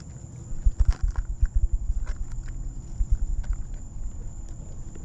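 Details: An 18-year-old captive lion at Big Cat Rescue, coaxed into eating, gnaws a leg bone. Deep low rumbling pulses come in quick bursts, with a few sharp cracks and a steady high whine.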